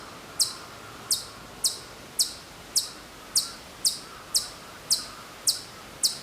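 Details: Hokkaido chipmunk calling from far off at Maruyama, Sapporo, Hokkaido, in September 2014: short, high, sharp chip notes repeated steadily about every half second, over faint steady background hum.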